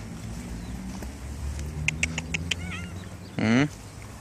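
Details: Stray cat living around a library, coming over when called by a person; after several sharp clicks, a short loud rising meow answers near the end.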